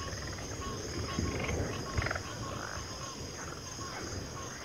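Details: Frogs calling together in low, grunting, roar-like bursts that swell and fade, with higher croaks scattered above and a constant high droning hiss behind.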